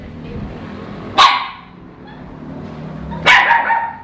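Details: Frightened Shih Tzu puppies reacting to toilet paper, giving two loud, abrupt barks about two seconds apart against a low indoor background.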